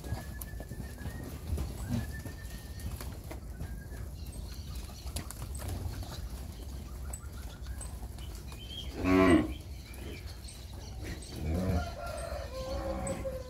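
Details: Nelore and Nelore-cross heifer calves, ten months and older, Fernandópolis region, São Paulo state; one strong low moo near nine seconds and a softer one later, over steady farmyard background noise.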